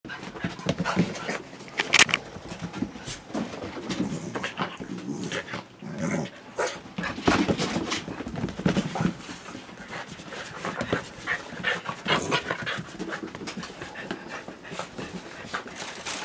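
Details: A corgi having fun pants and grunts in quick, breathy bursts, with a few short whiny vocal sounds mixed in.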